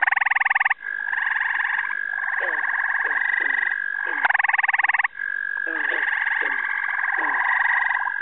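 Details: A mixed frog chorus in upstate New York in the first week of June, with gray tree frogs, peepers, toads and green frogs: a steady high trill, bursts of rapid pulsed calls, and short descending notes.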